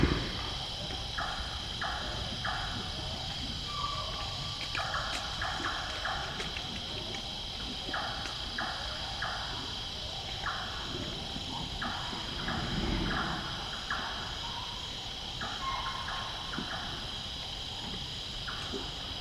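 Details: Wild Greater One-horned Rhinoceros at night at a clay lick in a lowland forest in Nepal, eating clay; a steady series of short clicking, chomping and popping knocks in irregular bursts over a constant insect hum.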